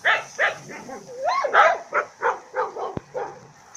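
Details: Labrador mix female dog, 14 months old, rescued and kept in private boarding in the province of Turin, Italy: a rapid run of about ten barks, with a rising whine-like yelp in the middle and a sharp click near the end.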